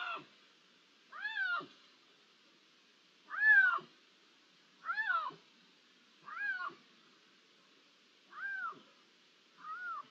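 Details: Iberian lynx, 16 June 2023, ambient recording: a series of seven rising-falling meows, clear and harmonic, spaced about one to one and a half seconds apart, the last ones slightly softer, against a quiet background.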